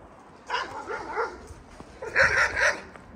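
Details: Wolf sounds around a Yakut she-wolf and her small cubs newly moved into an open enclosure: two bursts of high, arching, yelping cries, a softer run early on and a louder cluster near the end, with faint speech behind.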